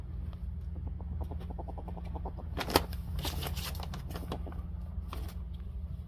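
Ferrets dooking, a rapid soft clucking chatter of happy excitement during play.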